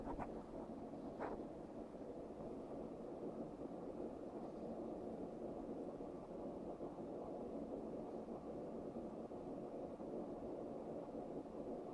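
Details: Continuous low rumbling hiss like wind or an engine, steady throughout with two brief faint clicks near the start and no animal sound.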